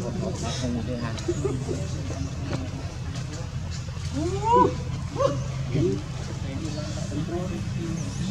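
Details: Newborn baby monkey crying when its mother does not care for it; a few brief arched, wailing cries rising then falling near the middle, over a steady low hum and faint background murmur.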